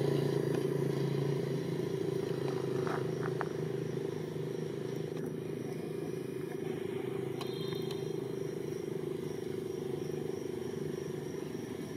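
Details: A steady low droning engine, like a passing motorcycle or car, fills the scene outdoors with a few faint clicks and clatters, and no monkey cries stand out.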